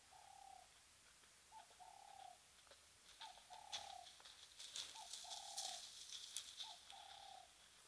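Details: At the Mabula Gnu waterhole, Mabula Game Lodge, South Africa, a cheetah gives clear, bird-like tonal calls, a short note followed by a longer even one, repeated.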